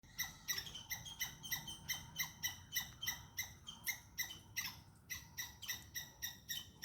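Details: Squirrel shouting at a cat that is chasing it, caught on a hidden camera: sharp, harmonic chirps repeated about three times a second in a steady, slightly uneven rhythm, with low background rumble.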